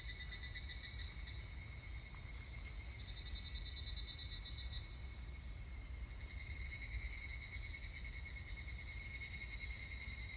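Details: Higurashi, the evening cicada, singing on 25 July 2019: rapid pulsed metallic trills rising and falling in waves, mostly in the later half, against a constant shrill background chorus of other insects.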